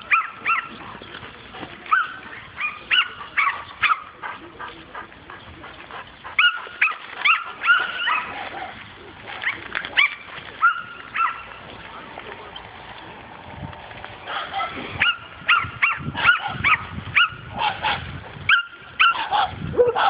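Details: A dog barks during its first meeting with a wild boar: sharp, harmonic barks and yelps in irregular bursts, some in quick clusters, with short gaps and quieter stretches between volleys.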